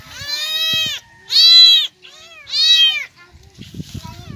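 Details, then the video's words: Abandoned, starving kittens crying loudly from hunger: three long, high, strained wails of about half a second to a second each, then rustling and handling noise. "Abandoned kittens crying because of starvation | gutom talaga ang mga pusa"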